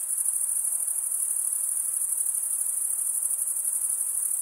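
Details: High, unbroken cricket trilling from males stridulating their wings, a thin metallic ringing with a fine rapid pulse and nothing else audible.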